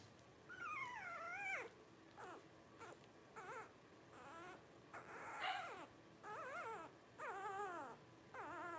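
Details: Twelve-day-old Blenheim Cavalier King Charles Spaniel puppies, a litter of five born New Year's 2023, whining in a run of wavering, arching cries, some long and some short, repeated about every second, rising and dropping in pitch.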